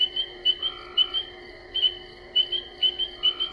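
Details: Male spring peepers call in early spring, each inflating his balloon-like vocal sac to make the call louder: a chorus of high, clear, single peeps overlapping several times a second.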